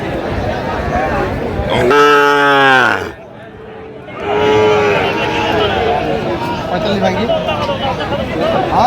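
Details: At a busy cattle market on 4 October 2025, a Sahiwal bull calf lets out one loud, harmonically rich moo lasting about a second, then a softer shorter one, with traders' voices haggling over prices around it.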